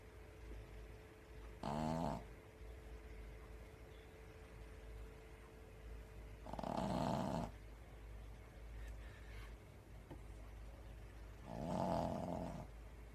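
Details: Pekingese dog asleep on its toilet, feet twitching, snoring indoors: three rough, throaty snores about five seconds apart, each under a second long, with a steady low hum between them.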